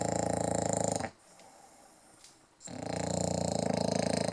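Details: English Bulldog. A sleeping English bulldog gives a loud, buzzing snore with a fast, fluttering rattle. The rumbling breath stops for about a second and a half, then resumes just as strongly.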